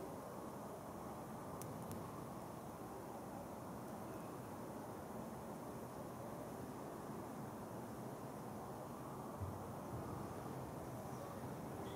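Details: Continuous broad outdoor hiss like distant traffic or wind, without any audible animal calls.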